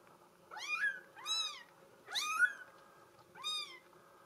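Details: Girl kitten of the Bengal breed, mink solid coat, letting out four quick squeaky mews in close succession, each bending up then down, the third loudest.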